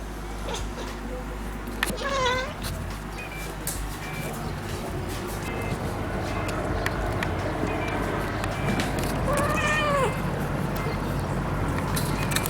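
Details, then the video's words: Russian Blue cat Rei, neutered male born 4 October 2016, watching a fly for the first time indoors, makes two brief bent chattering meows several seconds apart over steady household hum and scattered clicks. "파리를 처음보고 이상한 소리를 내는 고양이"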